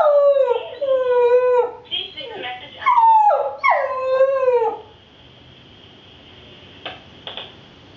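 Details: Puppy howling indoors when a phone rings while the owners are away: several long, wavering, harmonic howls that bend up and down for about five seconds, then a steady electronic phone tone with a couple of clicks.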